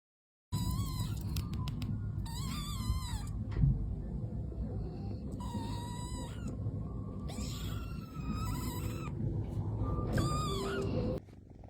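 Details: A domestic cat gives several wavering, nasal meows in quick succession, some bending up and down in pitch, over a heavy continuous low rumble.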